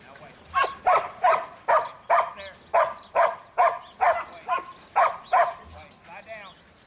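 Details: Buttons, a young male Border Collie in training, barks in a steady series of sharp yaps, roughly two per second, with a few whiny tones in between.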